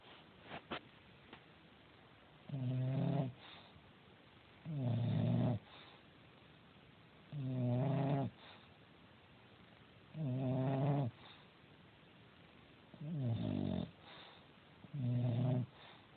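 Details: Domestic cat, female, sleeping and snoring: low rumbling snores with stacked harmonics, each about a second long, repeating every two to three seconds in a steady breathing rhythm, in a quiet room.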